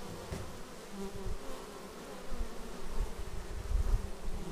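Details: Arriving bees at a beehive, Xiaomi Yi action camera recording: a quiet, steady hum of wingbeats, rising slightly in the second half as insects come closer.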